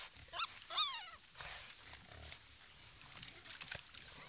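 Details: Wild boar at a watering hole give two quick, high, harmonic squeals, then a steady hiss of background noise.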